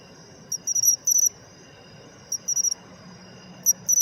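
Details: Pine cricket (matsumushi) calling, described as an autumn sound still found despite declining in cities; high, bright two- and three-pulse chirps, a short 'chin' then quick 'chirorin' notes, given in bursts about every one to two seconds.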